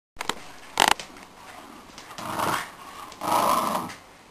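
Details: Shiba Inu dogs growling during a tug of war game indoors; short rough growls swell in bursts around two and three and a half seconds, after a few sharp knocks.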